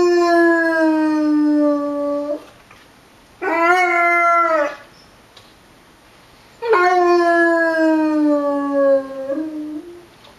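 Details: Basset hound Winston joining in with tornado sirens: three drawn-out, richly harmonic howls, one shorter in the middle, each gliding gently downward, with quiet gaps between.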